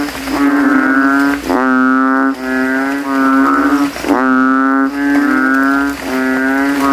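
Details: After nightfall following rain, banded bullfrogs in a graveyard puddle swell their throats and compete against rivals: low, droning moo-like notes run almost continuously, several frogs overlapping with hardly any gaps.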